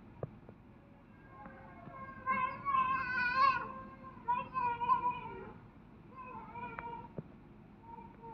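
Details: A white-handed gibbon, one of a bonded pair with a male at Kyoto City Zoo, gives wavering, hooting song notes in two loud bursts on 16 February 2023, with faint human voices nearby.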